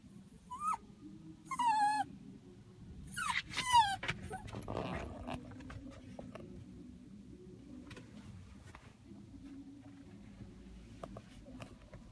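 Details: Pet dog crying while its owner is in the toilet during a trip, recorded 2 October 2016: three thin, high, falling whines in the first four seconds over a low hum, followed by quieter background noise.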